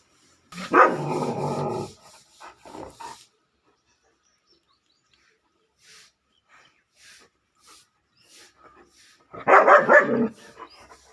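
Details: German Shepherd puppy barking: a loud, rough bark at the start and another strong bark near the end, separated by a long quiet stretch with faint taps.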